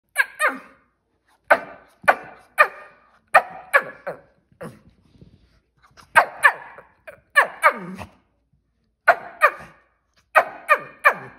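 A Shih Tzu gives sharp, high yappy barks in quick pairs and triplets, demanding attention.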